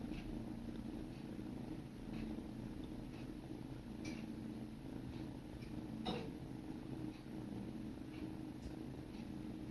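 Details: Grooming session between sibling kittens: an even low purr with a gently pulsing rhythm. Occasional sharp clicks break in, one stronger knock past the middle.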